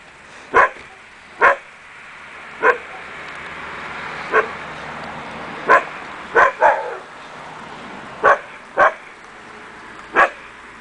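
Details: Akita Inu puppies from the Empire des Samouraïs kennel letting out a steady series of short, high yapping barks, about nine in ten seconds, some in quick pairs, over a faint background hiss.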